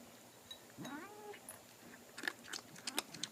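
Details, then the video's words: Sophie, a house cat, mid-meal: a short rising-then-level mewing murmur, followed by a run of crisp chewing and crunching clicks. "Cat makes noises while eating"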